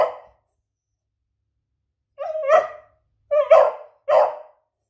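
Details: Female pet beagle barking indoors to ask for a treat: three short, harsh barks spaced about a second apart after a brief opening yelp, each with a whining tonal start.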